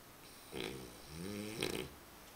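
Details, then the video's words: Dog named Römer asleep and snoring indoors: a short snort, then a long, low, droning inhalation that slides upward, ending in a second breathy snort against a quiet room hum. "Römer schnarchend"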